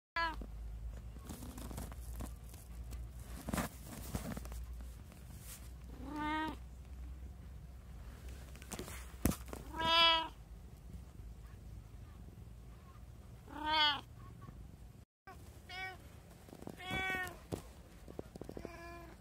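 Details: One of three house cats, a brown tabby, an Abyssinian and a short-legged Munchkin, filmed at home on 24 January 2024, gives separate drawn-out tonal meows every few seconds over a low steady hum.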